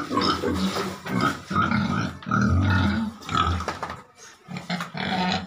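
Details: Farm pig raised on feed giving deep, rough grunts in short bursts about once a second, with a brief quiet pause near the end before the grunting resumes.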